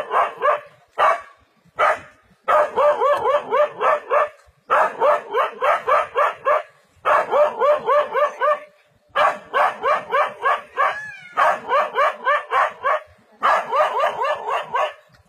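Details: Brave dog facing a leopard in forest, barking hard: a few single barks, then repeated volleys of fast, sharp, evenly paced barks broken by brief pauses, sustained and urgent throughout.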